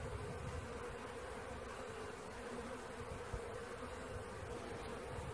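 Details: Honey bee swarm under capture: thick, steady buzzing of a great mass of bees, level and continuous, one soft knock midway.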